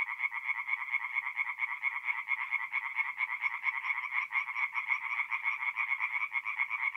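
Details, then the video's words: Night chorus of tree frogs at a forest pond in North-East Italy, mid-April: overlapping fast croaking pulses form a continuous buzzy wall of sound, less evenly timed, with several callers blending together. "relaxing forest pond by night with singing tree frogs"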